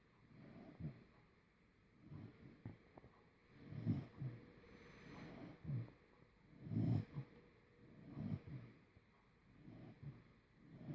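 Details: An English Cocker Spaniel snores in low, rumbling bursts that come every couple of seconds.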